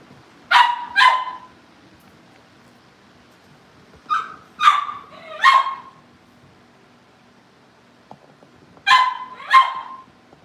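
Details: Puppy Cavalier King Charles Spaniels bark in short clusters of two or three bright, high yaps, separated by pauses of about three seconds, over a quiet background hum, while they wait for family pick-up.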